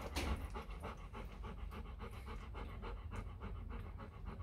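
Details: Rapid, even panting from a litter of four-day-old Rottweiler puppies, offspring of champion Loki Gervi and Faye in Vietnam; short breathy puffs follow one another steadily, backed by a faint low hum.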